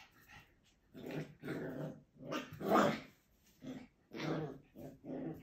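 A Schipperke puppy gives a series of short, rough growls and yappy grumbles, each lasting under a second.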